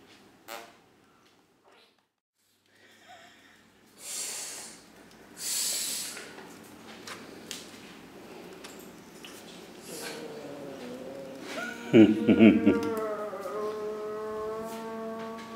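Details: Kitten Brown guarding a pink cloth "with tooth and nail"; two breathy hisses near the fourth and sixth seconds, then a drawn-out wavering harmonic growl-like wail toward the end, indoors.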